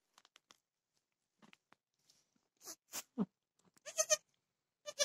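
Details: During a dwarf goat's birth of small triplets on 26 October 2020, short, high, wavering goat bleats sound among soft clicks and rustling.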